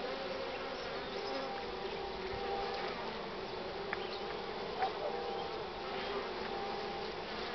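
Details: Honey bees crowding the hive entrance with full loads of pollen make a steady, layered hum of many wingbeats droning together, on a strongly sunny but cool morning, 24 March 2019, 9:45.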